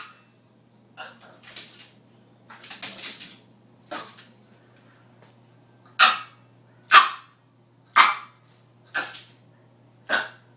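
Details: Female Boston Terrier indoors demanding dinner after her owner says she thought she already fed her; softer scattered yaps early, then five loud sharp barks about once a second, over a low steady hum.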